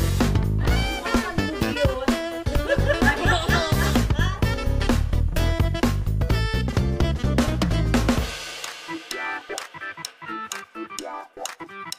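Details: Upbeat instrumental music with a steady drum kit beat, funky guitar and layered instruments, thinning out to sparse percussive hits near the end; no animal voice anywhere.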